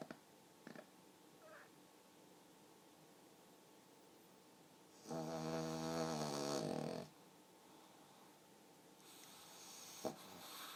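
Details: Human-sounding snores from a sleeping pug: after faint sniffs and clicks, a strong, rattling two-second snore with a rough vibrating tone, then a quieter airy breath near the end.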